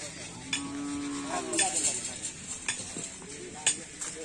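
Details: Karapan Sapi racing cattle of team Griduh Onggu training at the Asemanis field in Madura; a short, level, harmonic moo in the first half, with sharp clicks and scattered crackling noise around it.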